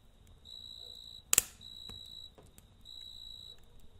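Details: Night cricket beside a campfire, its shrill pulsed chirps coming in short ringing bursts while a loud crackle of burning wood breaks in midway, followed by softer pops.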